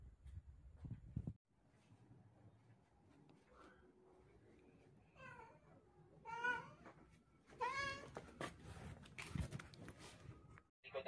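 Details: Stray cat giving several drawn-out meows, each with a rising then falling tone, clustered in the second half. Soft handling noises and background sounds fill the quieter stretches between calls.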